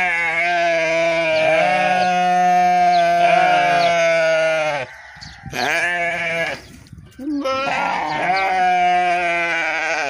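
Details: Almost continuous sheep bleating: a long quavering cry of nearly five seconds, a brief dip, then more drawn-out wavering bleats, loud and close.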